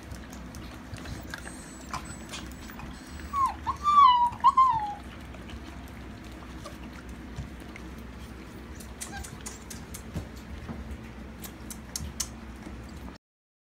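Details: Alaskan Malamute puppies, with one stretch of drawn-out, wavering whimpers lasting about two seconds, followed by faint scattered clicks and soft rustling in a quiet room.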